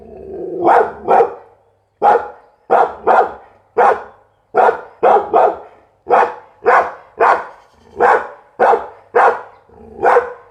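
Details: Continuous loud barking from a Pit Bull, barks often coming in quick doubles, repeated steadily with short gaps for about ten seconds.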